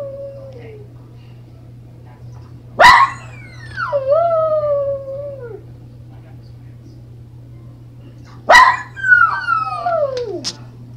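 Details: A pet dog howls in two long bouts, each opening with a sharp yelp then sliding into wavering, falling tones that fade out after a few seconds, over a steady low hum.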